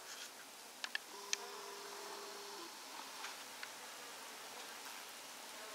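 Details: Bees living inside a wall, busy patching a hole in it; one steady, low droning buzz holds for about a second and a half, with a few sharp clicks and a faint hiss behind it.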